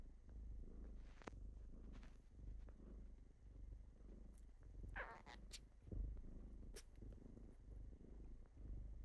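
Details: Kittens purring in the morning as they wake their owner, a low, soft rumble that is partly buried in low room noise, with a few brief clicks and rustles.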